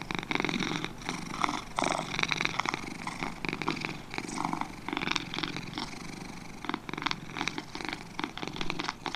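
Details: Two cats purring up close, a steady low rumble that swells and fades with each breath.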